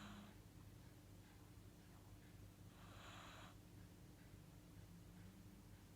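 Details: Pet Corgi asleep and apparently dreaming, snoring in a small room: a breathy rasp at the start, then a longer hissing exhale about three seconds later, with a constant low hum underneath.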